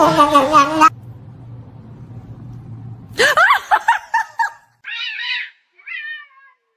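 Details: Domestic cat meowing indoors: one long wavering meow, a quiet pause with low hum, then a burst of short, rising-and-falling meows, followed by two softer, higher meows trailing off.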